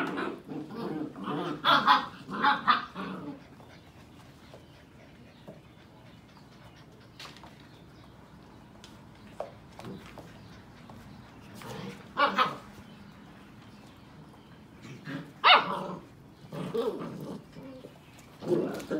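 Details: Sheepadoodle puppies at seven weeks old, mother Pepper visiting, litters of Pepper and Coco together: scattered barks and yelps in bursts between quieter stretches, with some background talking.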